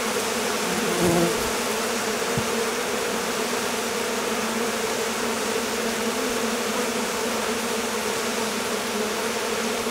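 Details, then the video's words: Swarming honey bees leaving the hive on a hot day that followed prolonged rain and cold; thick continuous buzzing of a crowd of bees, with a brief louder flyby near the start, otherwise an even, sustained hum. "Abeilles. Essaimage d'une colonie"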